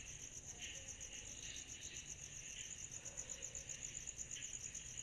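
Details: Cicadas chorusing on a summer night: a steady, very high-pitched pulsing buzz, overlaid with lower rasping trills that swell and fade every second or so, with a faint low background hum.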